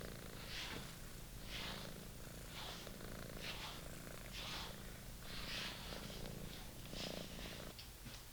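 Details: Young British Shorthair cat purring while attacking a long-favoured toy, a continuous deep vibrating hum beneath regular hissy scraping bursts, roughly one per second throughout.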